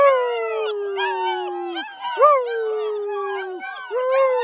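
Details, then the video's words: Several of ten black German Shepherd puppies howl together in their kennel. Overlapping drawn-out wails slide downward, with fresh rising yips breaking in between the steady tones. "Ten HOWLING baby black German Shepherd Puppies!!!"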